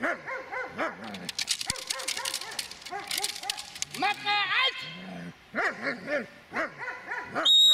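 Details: A Dobermann aged eight years six months in attack training gives dense, rapid barking with some higher whining yelps, mixed with rustling, clattering noise and human voices throughout.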